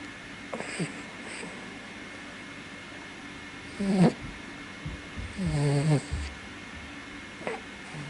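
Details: Senior Toy Poodle father named Ippo sleeping like a mop, snoring with an occasionally blocked nose; soft nasal snorts and wheezy, rattling breaths come in two main bursts around four and five-and-a-half seconds over a quiet room hum.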